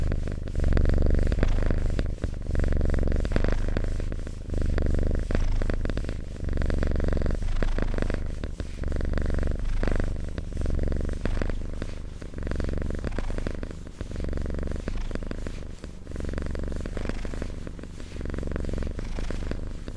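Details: Cat purring steadily in close-up, a deep vibrating rumble alternating in breath-length waves of about a second each, continuous throughout with faint crackling handling noises.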